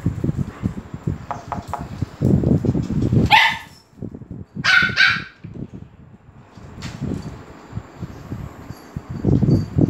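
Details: Dogs at a dog resort in Phuket, Thailand, excited as a Pomeranian arrives: several sharp barks in short bursts, with a rumble of footsteps and handling noise, and some brief human voices.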